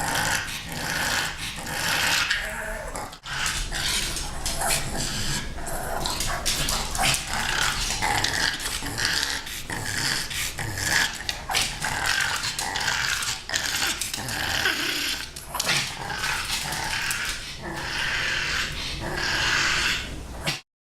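A pug makes a near-continuous run of raspy, snorting grunts and low rumbling growls, with a few whiny yips. The noises are a playful invitation aimed at kittens.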